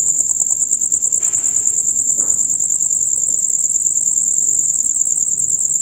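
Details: Male crickets in a loud concert, the chorus usually heard from dusk until dawn: a dense, rapid, very high shrill trill pulsing without pause, with a brief soft rushing noise near the start.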